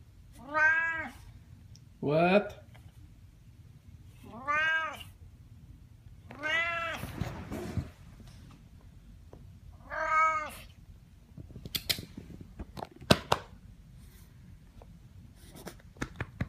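A Siamese cat gives loud, drawn-out meows that rise and fall, repeated every few seconds.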